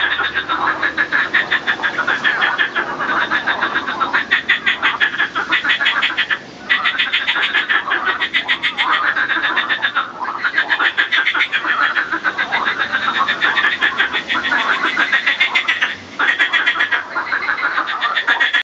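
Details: Marsh frogs, males singing and fighting during reproduction; dense rattling chorus of rapid pulsed croaks, overlapping continuously with brief pauses, heard as a steady chattering din.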